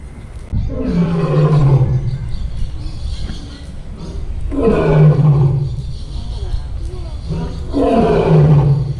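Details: Captive lion at a zoo roaring: three deep, moaning roars, each about two seconds long and spaced roughly three seconds apart, with a grunting onset and a low drawn-out tail.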